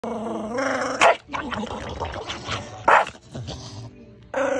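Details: An angry pet Shih Tzu attacking a pillow growls continuously, broken by sharp, high barks every second or two.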